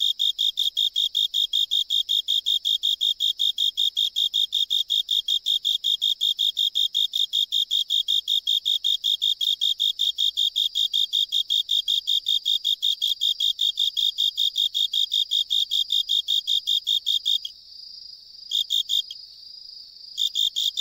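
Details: A Japanese burrowing cricket (tsuzuresasekorogi) sings from a drainage pipe on an island. The species usually sings hidden in soil or rock crevices. Its song is a steady string of clear, high chirps, fast and evenly spaced.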